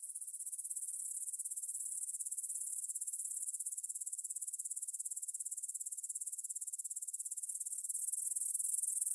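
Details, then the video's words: Grasshoppers chirring at 9pm on 6 September 2020 in a meadow near the Svensky monastery, Bryansk, Russia, captured on a Tascam DR-44WL in stereo; fast, regular high pulses form a dense shimmering chorus that grows louder toward the end. "Звук для сна: кузнечики на лугу – Grasshopper Sounds in the Field"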